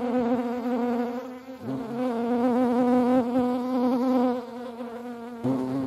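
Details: Hornets at a feeding place in the Eifel region, Germany, buzz steadily in a low, droning hum with slight wavering in pitch.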